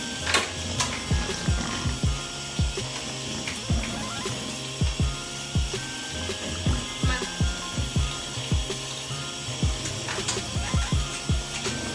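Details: Rhythmic ratchet-like clicks repeat over background music and steady noise, with no animal voice.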